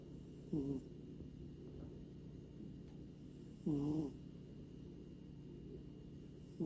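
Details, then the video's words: A sleeping grey American Shorthair tomcat named Luffy, from Maui, Hawaii, gives brief nasal snores, each a low wavering tone under half a second long, returning roughly every three seconds against faint background hum. "코고는 고양이 / Snoring Cat / いびき猫"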